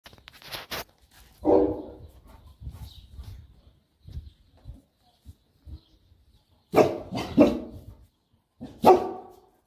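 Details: Boerboel, or South African Mastiff, one of a pair named Enzo and Diva living in Egypt, barking during play: loud harmonic woofs in short bursts with quiet gaps, plus softer low grunts and huffs in between.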